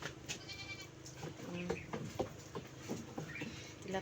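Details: Farm goats being given Himalayan salt; a short, high, nasal bleat with stacked overtones near the start, then a woman talking in Cebuano with soft clatter and shuffling around the pen.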